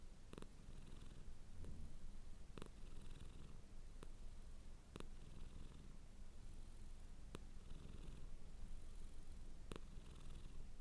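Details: House cat purring softly in a constant deep drone, with single sharp ticks at irregular intervals, about ten across the recording.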